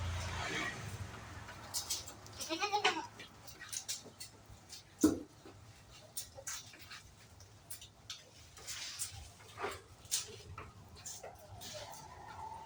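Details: Improved-breed farm goats, kept at a home: a short quavering bleat early on, then a sharper single call midway, with knocks, shuffling and background farm noise throughout.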